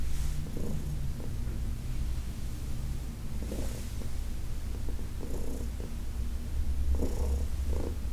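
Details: Purring from Heidi, an older domestic cat from the Humane Society of New York City, as she is massaged on August 4, 2021; an unbroken low vibrating drone under repeated light rustles of stroking hands roughly every one to two seconds.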